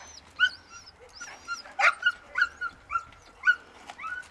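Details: Labrador Retriever, one year old, in search and rescue training in open field and rubble in Greece; a series of high thin whines, roughly one every half second, with a louder yelp near the middle.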